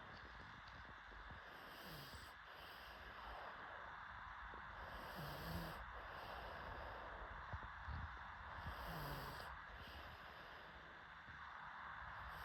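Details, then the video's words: Sleeping pug snoring in rough, low breaths that swell and fade roughly every three to four seconds, each cycle bringing a brief hissing rush of air over a steady background hiss. "PUG DOG SLEEPING"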